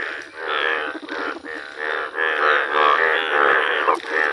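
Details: Indian bullfrogs with rare yellow colouring calling together: thick, buzzy, overlapping croaks swell and dip in quick succession, forming a dense, loud chorus.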